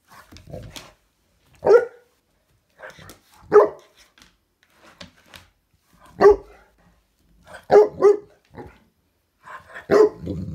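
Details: Female Saint Bernard playing with a grasshopper she is eager to eat, giving about six short, sharp barks spaced irregularly, two in quick succession near the end, while a woman talks quietly between them.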